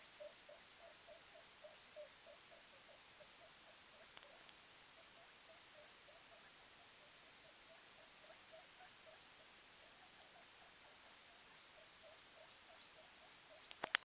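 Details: Day-old guinea pig baby InuYasha, the litter's climber, scampers about near his mum and brother under a purple blanket, giving soft, quick, evenly spaced squeaks in long runs, quietly recorded with a constant background hiss and an occasional click.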